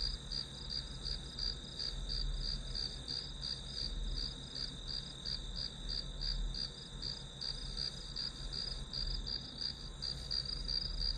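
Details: Grass insect sound played as study white noise: continuous shrill chirping in rapid, even pulses, unbroken throughout, over a soft low hum.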